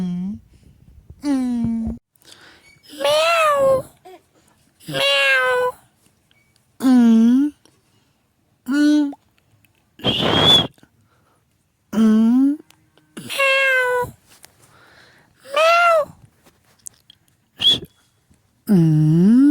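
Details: Cat repeatedly meowing in a small indoor room, about one call every two seconds, each short meow bending up then down, some higher and sharper, with quiet gaps between.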